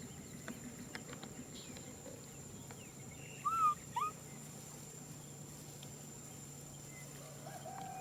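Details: Crying for a hug, baby macaque Nui Simon gives two short whimpering notes in quick succession, each a bright arched tone, amid otherwise quiet surroundings with a low constant hum.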